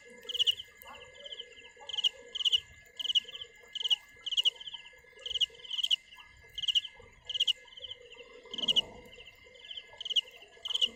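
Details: A field cricket singing: bright, high, rapid trilled chirps in short bursts repeated about every half second to second, fairly steady rhythm, with a constant faint tone and some low background rumbles.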